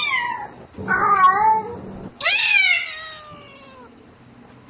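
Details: Domestic cat calling for a mate at night: two drawn-out meows, the first wavering and falling, the second starting high and sliding down over more than a second, with a quiet gap between them.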